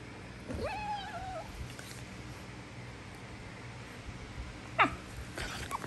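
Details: Prisca, a female Basenji, putting on a tough act with wild-dog-style squealing that is all for show: one rising then level yodel-like squeal near the start, a short sharp yelp later, over low room hum.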